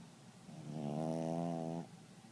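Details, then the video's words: A dog snoring loudly: one drawn-out, droning snore lasting about a second, with a buzzy, tonal, slightly eerie quality, rising out of and fading back into quiet room noise. "Spooky snores so loud"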